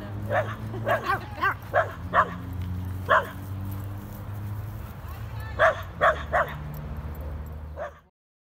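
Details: Corgi Nessi and Chihuahua mix Miles playing; a quick burst of about six barks, a pause with a single bark, then another cluster of three, over a low hum before sudden silence.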